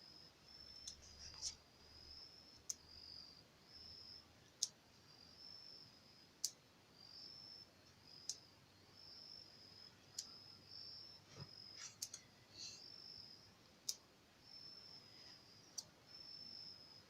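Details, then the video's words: A male opossum calling to others of its kind as it gets ready to leave; sharp, dry clicks every one to two seconds, some in quick pairs, over a steady high insect-like hum in a quiet setting. "Opossum clicking sounds"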